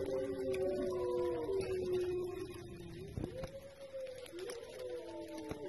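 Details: Wolf howling: long drawn-out tones that hold steady, then dip and slide upward again, with several voices overlapping in a layered chorus.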